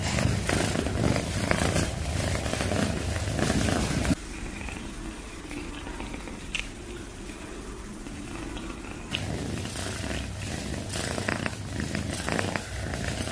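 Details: Domestic cat purring loudly as a steady, low rumbling drone with a rapid throbbing pulse; the purr drops to a quieter, duller stretch midway and then returns at full strength.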